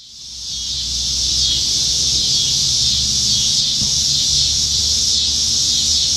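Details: Cicadas singing up in the trees on a summer evening in Nebraska, July 2019, many insects present; a dense, high, hissing drone swells in over the first second, then holds steady and unbroken.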